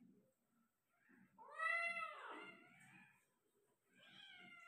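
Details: Persian cat at a home birth of five kittens: one long, loud, wavering meow that rises then falls with a ragged end, followed after a pause by a shorter, flatter mew, over soft low rustling.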